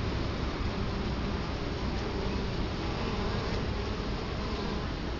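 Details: Italian honey bees at a hive entrance in Colorado Springs, October 2011, with the camera placed right in front of the hive: a dense, steady, low droning hum of many bees, unbroken throughout.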